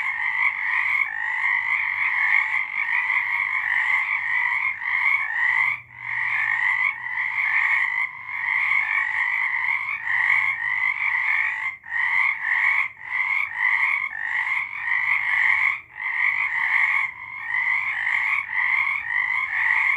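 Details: A night chorus of frogs in March 2023, steady and loud, with countless overlapping rasping trills layered in two bright pitches, a few short lulls breaking the wall of sound every few seconds.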